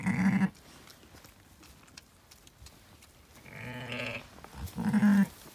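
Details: Zwartbles sheep, a ewe at lambing on a farm in County Kilkenny, Ireland, where she bore two ram lambs; a loud bleat opens, then a longer wavering bleat near four seconds and another strong one at five.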